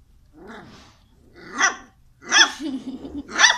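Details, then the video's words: Dog barking in four rough, harsh bursts spaced about a second apart, the later ones louder, with a low growly rumble trailing one bark and faint low background noise. "Dog Barking - Funny Dogs Barking And Puppies Barking"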